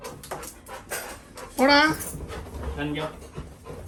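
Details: Little John, a Labrador Retriever puppy, cries at his brother, wanting to be taken out for a walk: a sharp whine that rises and falls, then a fainter, shorter whimper, with breathy panting in a small room.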